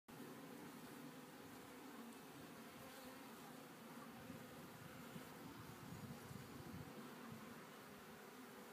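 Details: Honey bees in a Warre hive on its second day after installation, calm and busy cleaning dead bees from re-used comb; a steady low droning hum fills the recording without break.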